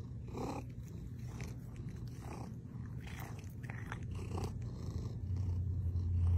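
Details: Domestic cat purring indoors: a steady low rumble throughout, with faint scattered clicks and rustles above it and the purr growing slightly louder toward the end.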